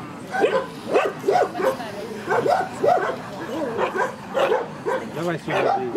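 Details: Barking at the Central Asian Shepherd Dog club show, Krasylivka near Kyiv, Ukraine, September 2019: roughly ten short, rough barks, spaced unevenly, with voices of the crowd underneath.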